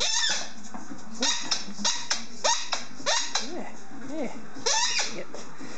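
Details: Helmutt, an 18-month-old German Shorthaired Pointer, makes noise while playing with his squeaky ball: short arched, whiny vocal notes rise and fall among sharp, bright squeaks from the toy, with a low room hum underneath.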